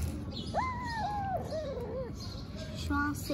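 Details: Tiny kitten in Istanbul, vocal while eating, gives a drawn-out wavering meow that steps slightly downward, then a shorter curling mew and brief tonal chirps near the end, over steady low background noise.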